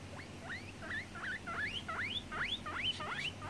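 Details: Guinea pig giving a rapid series of rising, whistled squeaks, each sweeping upward and repeating about three times a second, with a low steady hum underneath.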